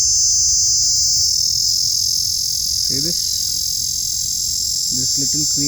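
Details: Small insect filmed up close, making a loud creepy noise: a steady, shrill, high-pitched whine that runs unbroken throughout, while a man speaks briefly over it twice.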